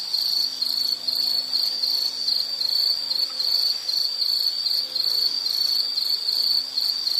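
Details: A calling insect gives a piercing, even trill at a single high pitch, lightly pulsing and never pausing, over a faint low hum, part of a calming nature sound.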